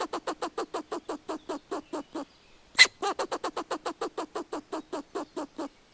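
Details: Squirrel nasal, squeaky alarm call, a rapid run of chatters about eight per second broken by one sharp click; squirrels give such calls when fighting, in distress or warning others of a predator.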